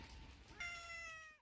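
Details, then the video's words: A single domestic cat meow, a steady, clear, slightly nasal tone held for almost a second and then cut off abruptly into silence. "Cat Sound||Cat Voice"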